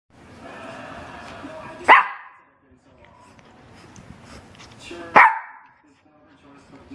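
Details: Dog at play on a couch indoors, hair-pulling romp involving Bella and Lilly; two sharp, loud barks about three seconds apart, with a murmur of human talk between them.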